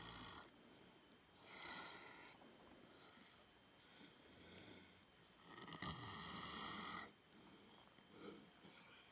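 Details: Cream, an elderly cow at Sanctuary One, snoring a little while napping on a warm summer day: slow breathy rasping snores, each lasting about one to one and a half seconds, separated by quieter pauses.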